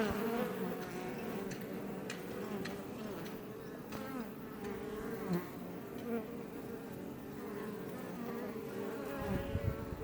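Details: Many Iberian honey bees swarming up close outside a Langstroth beebox hive near Roquetes, south Tarragona, Catalonia, Spain: dense continuous buzzing drone with shifting pitches of passing bees and faint light ticks.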